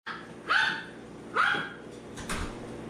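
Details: Seven-week-old Poodle puppies romping with their mother in the early morning at 4 a.m.: two short, high yipping barks about a second apart, each bending up then down, followed by a faint scuffle in a quiet room.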